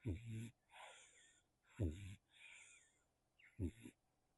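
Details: Sleeping kitten Nacho, caught on a small microphone, gives three low, rattling snore bursts roughly every 1.8 seconds, with airy whooshing breaths between them.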